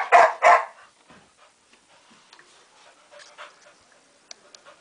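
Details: Kane, a pet dog behaving like a child who refuses to go to bed, lets out two sharp, loud barks in quick succession, followed by quiet snuffling and faint rustling.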